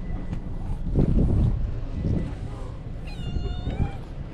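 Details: Feral cats crowding round a bench on a cat island, filmed with a GoPro; one clear, drawn-out meow near the end over steady low rumbling wind and handling noise, with faint voices earlier.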